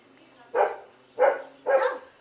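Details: Three loud, rough dog barks, each about a fifth of a second long and spaced roughly half a second apart, over a faint background hum.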